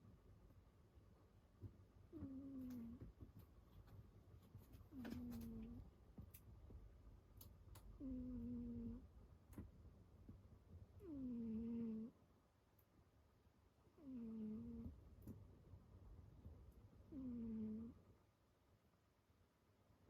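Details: Sleeping pet cat snoring loudly, each breath a drawn-out, whistled, slightly wavering tone with a soft falling start, repeated about every three seconds in a quiet room.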